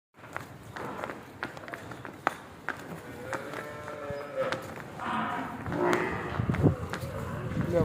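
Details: Murrah buffalo at a dairy farm in Karnal, India, in its second lactation, giving a few drawn-out, harmonic lowing moos that swell and fade, mixed with people talking and scattered farmyard knocks and footsteps.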